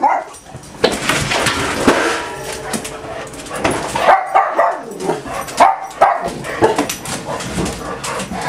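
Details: Six pet dogs named Esther, Becky, Doxie, Sandy, Pudge and Buddy on a typical morning at home. Dense, overlapping barks and yips burst out in quick succession, with excited whimpers between them and a restless indoor clamour throughout.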